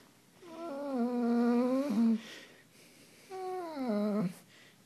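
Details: German Shepherd dog indoors on a bed, refusing to get off it, making two drawn-out whining moans with rich harmonics, each wavering and slightly rising before breaking off, separated by a short pause in a quiet room.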